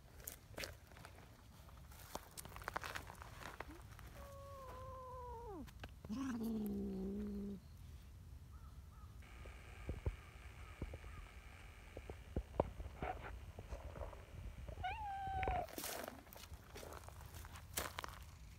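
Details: A talkative, affectionate brown tabby community cat named Nyahha at a cat gathering gives several harmonic meows, one falling and one low drawn-out wail, between clicks, rustling and handling noises outdoors.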